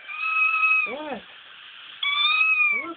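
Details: Female cat named Frank, once a mother, responding to a played recording of a crying kitten: long, steady, high wailing cries broken by short arched meows, with a person talking over them.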